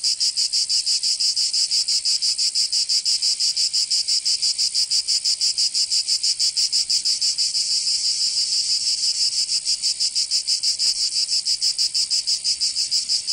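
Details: In the summer heat of Provence, southern France, cicadas keep up a piercing, buzzy pulsed song, steady throbs about three each second, a fairly uniform wall of insect sound.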